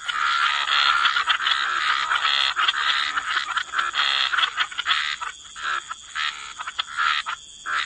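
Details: Many frogs calling by the waterside in a wetland, a thick continuous chorus of raspy croaks that thins toward the end into short separated bursts, steady background hiss.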